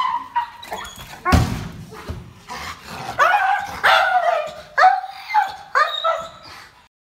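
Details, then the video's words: Dog in rehabilitation for extreme aggression toward humans: loud, harmonic barks and yelping calls in irregular bursts, some rising then falling, with a sharp thump near the start. "Training an Extremely Aggressive Dog"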